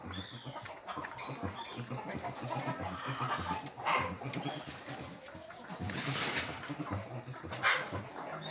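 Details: Collared peccaries (catetos), wild pigs grown tame, give low, rough grunts and snuffles in a steady, overlapping stream as corn is fetched for them, with a person speaking briefly.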